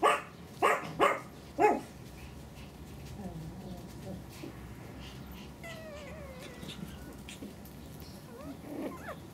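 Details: Pomeranian puppies, males aged 49 days: three sharp, loud yips in quick succession open the recording, followed by soft, high, wavering whimpers and squeaks over quiet background hiss.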